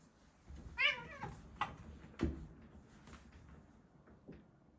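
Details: Two Siberian Forest kitten brothers wrestling indoors in a bathroom; one short, bright, harmonic mew, followed by scattered thumps and scuffling.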